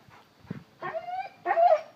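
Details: Cane Corso named Rhynomax, a one-year-old puppy acting like a baby, gives a soft low grunt followed by two drawn-out, high, steady whines, the second louder and slightly wavering.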